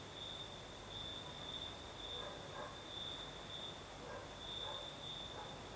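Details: A night chorus of crickets in southern Crimea, with a night breeze. The high, even trill pulses steadily over a soft hiss, and a few faint lower chirps come and go.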